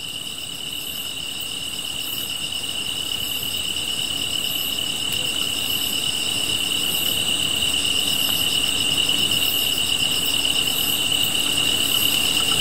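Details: A chorus of grass insects near a fire, heard as a constant shrill ringing tone layered with rapid, evenly pulsed chirping higher in pitch, growing slightly louder over the stretch, with only faint crackling.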